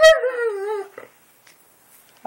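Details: Boxer dog talking: one wavering, whiny howl sliding gently downward for under a second, then quiet with faint rustling and a brief noise at the end.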